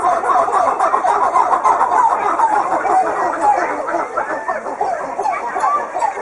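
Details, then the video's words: Red coppery titi monkeys sing their morning song, a dense, tumbling chorus of rising and falling pumping notes that keeps the group together. "Affen Springaffen Gesang Ruf Red Titi Monkey Call Singing"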